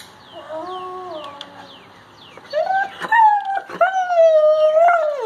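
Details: Great Pyrenees dog upset at its owner walking on crutches after a hip injury: a soft wavering whine, then a loud, long, drawn-out howling whine with rich overtones that holds steady and dips at the end, over rapid falling chirps in the background.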